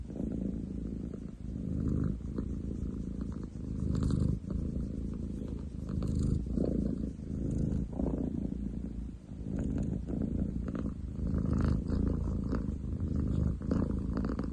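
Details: Loud purring from Ten chan, a long-legged munchkin tomcat, recorded 30/07/2023: a low, gravelly rumble pulsing in long waves as he breathes in and out, with a few soft clicks and rustles.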